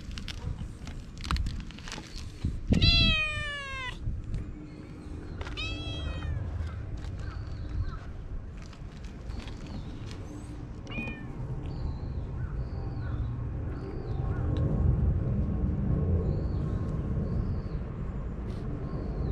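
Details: Calico cat calling out, its cute voice drawing a black cat over: two loud descending meows about three seconds apart, followed by a long stretch of short high chirps and low outdoor rumble.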